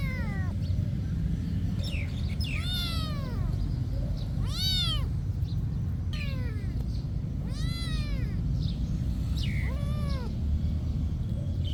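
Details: Monastery cat calling in a run of five or six arched meows roughly every two seconds, some brief and squeaky, others fuller, over a low constant rumble.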